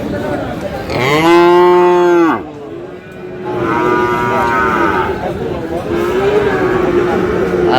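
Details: Friesian and cross-breed bull calves at Aftabganj cattle market in Dinajpur, Bangladesh: one loud, drawn-out harmonic moo lasting over a second, then a second long, steady bellow, over market crowd chatter and voices.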